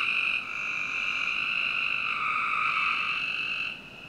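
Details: One long, unbroken buzzy trill from frogs on a summer night in a Northern Virginia backyard, lasting over three seconds before fading into quieter background.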